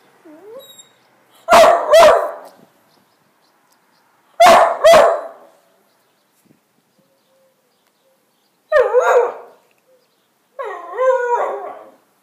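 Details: Two-year-old male whippet barking at a broom in play, a pet indoors: sharp double barks in pairs about every three seconds, then a whining, wavering yelp near the end, with quiet pauses between bursts.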